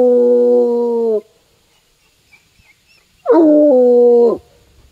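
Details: Bluetick Coonhound on a woodland walk, tracking a scent all the way to a tree: two long, mournful bays with a steady, rich tone, each about a second, separated by two seconds of quiet.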